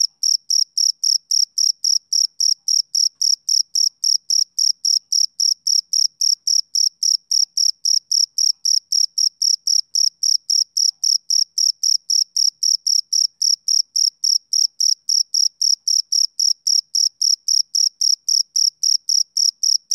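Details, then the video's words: Male cricket chirping on a summer evening: an unbroken train of short, bright, high-pitched pulses, close to four each second, steady and even for the whole stretch, with no other sounds behind it. "Cricket Chirping Sound Effect"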